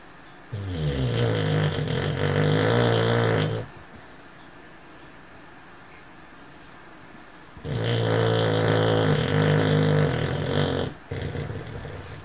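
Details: A male cocker spaniel snores loudly while asleep and dreaming, with deep, rattling rumbles. Each drawn-out breath lasts about three seconds, quiet pauses separate them, and a short snort follows the second snore.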